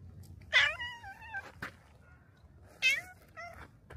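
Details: Black cat greeting visitors at a shrine's torii gate outdoors; two clear, drawn-out meows about two seconds apart, each bending up then down, followed by a shorter softer meow, over quiet background.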